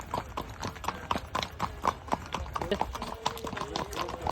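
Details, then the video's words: Horse hoofbeats with shod hooves, a steady clip-clop of sharp knocks about four per second, slightly uneven in rhythm, with faint voices in the background. "Nal sesleri eşliğinde"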